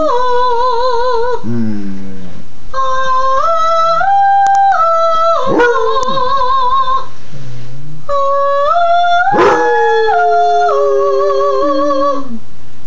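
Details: A Basset Hound being taught to sing howls in long, drawn-out tones alongside a person singing steady, stepped notes.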